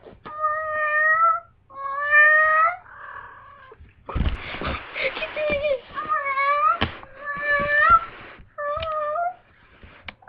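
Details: Female domestic cat in heat, responding to people's voices: a series of drawn-out, wavering meows, about eight calls in ten seconds, with some human voices mixed in.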